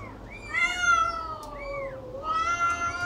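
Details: Meows from a cat and kitten being fed: bright, high-pitched calls that rise and fall in arches. One longer, level wail sits between the quick cries.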